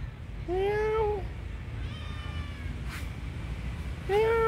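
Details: A tiny kitten crying as if needing help: two loud, drawn-out meows, slightly rising then falling, opening the clip and again at its end, with a faint softer mew between and a low background rumble.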